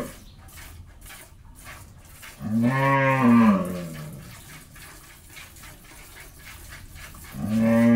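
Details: Jersey-Mundi cross dairy cow at a farm in Pabna, Bangladesh, recently calved for the first time and kept with her bull calf: a low, drawn-out moo swelling then fading over about a second, a second moo starting near the end, soft rhythmic tapping between.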